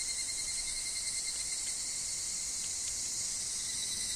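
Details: Brief span of higurashi singing in woodland: a piercing, constant high shimmer with faint flickering pulses and a steady lower tone beneath.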